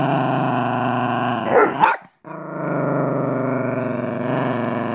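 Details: Chico, a male pet Chihuahua owned for three years, growls at his owner's boyfriend, whom he dislikes. A steady, rumbling, harmonic growl is cut around the two-second mark by a sharp yelping burst and a brief silence, then resumes just as evenly.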